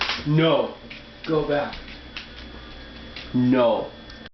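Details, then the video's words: Pet dog, female, crying indoors while kept from begging at the dinner table as people eat in another room; three voiced, wavering whines with rich harmonics, rising then falling, at the start, near one and a half seconds, and near three and a half. "My dog makes funny noises."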